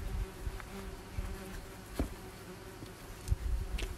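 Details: Buzzing of German wasps swarming at a nest during treatment, a continuous low hum with occasional faint clicks and taps.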